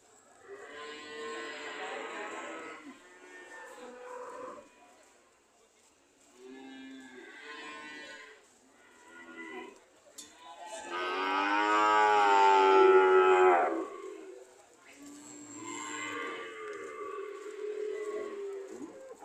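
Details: Several cows ready to leave low in a string of drawn-out moos, some short and soft, one long loud bellow near the middle, with quiet gaps between calls.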